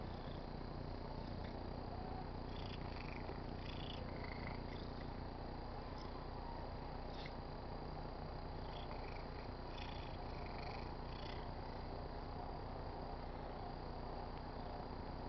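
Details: A pet tabby cat purrs steadily while rubbing on a car antenna, a low continuous rumble that pulses with each breath.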